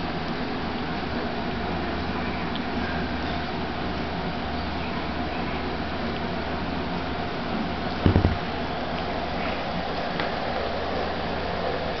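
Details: A steady low hum and broadband room noise, broken only by a single brief thump near the end.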